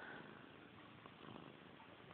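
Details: Brief purring from pet cat Missy Grey, a tail-obsessed cat: a dense, rough, continuous rumble with soft beats, opening with a tiny high squeak.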